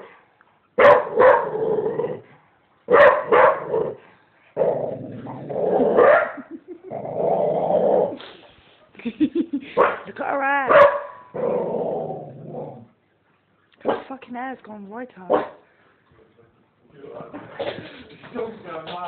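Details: Vocal play from a female dog mixes sharp barks, drawn-out grumbling growls and wavering, whiny yelps that rise and fall in pitch, ending with a long mutter.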